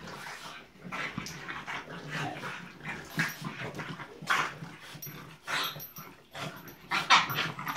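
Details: Two French Bulldog puppies trade small, raspy growls and whiny grunts while playing together.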